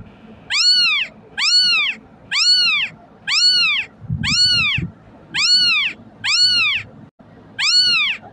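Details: Kitten cries meant to summon cats: a steady series of piercing, arch-shaped meows, about one per second, each short and harmonic-rich, with light low rumbles between them.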